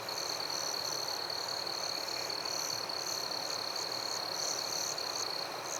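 Crickets and other insects trill steadily together in a forest at night, a high unbroken ringing.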